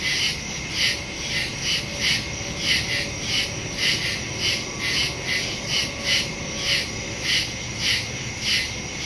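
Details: Crickets chirp steadily at night in the woods, high pulsed trills repeating about once a second, recorded September 2, 2023.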